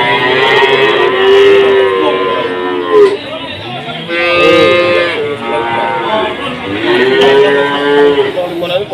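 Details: Three drawn-out moos from cattle at the Jatirogo cattle market in Tuban, sold during a foot-and-mouth outbreak. Each moo is steady and nasal, with pauses between, over background music and people talking.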